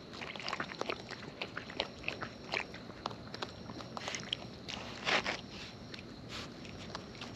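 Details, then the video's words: Raccoons in the wild eating up close, giving dense, busy crunching and smacking, many quick bites packed together, with a brief louder burst of chomping partway through and a constant background hiss. "Wild Raccoons & ASMR Chewing Sounds"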